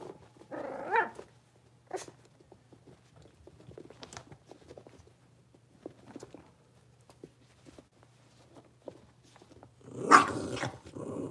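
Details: Blenheim Cavalier King Charles Spaniel puppies, a litter of five born at New Year's, moving into a bigger indoor pen. Two short, rough yipping bursts come near the start and near the end, with soft scuffling and a steady low hum between.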